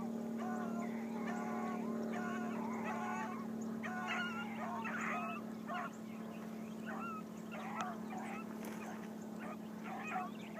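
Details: Blackcreek hound gyp on her first morning run, baying on the trail: a quick string of ringing, harmonic-rich bawls run together for several seconds over a steady low engine hum, with faint chirps above.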